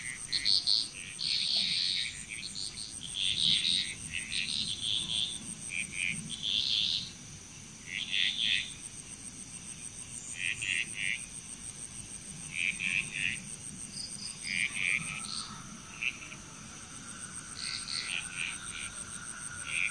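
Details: Bali, Indonesia frog chorus heard at a distance: scattered short bursts of high croaks, spaced irregularly, over a continuous thin insect buzz, with a faint rising whistle near the end.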